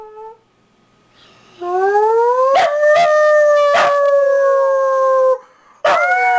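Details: Pet dog howling: after a quiet start, a long, steady, tonal howl with rich harmonics slides slowly downward for several seconds, broken by brief yelps, then stops and starts again abruptly near the end.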